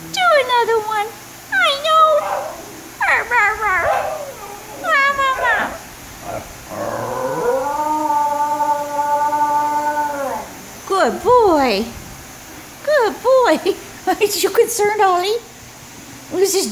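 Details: A Basenji talking back to its owner gives a string of warbling, yodel-like howls with rising and falling pitch, plus a long steady note.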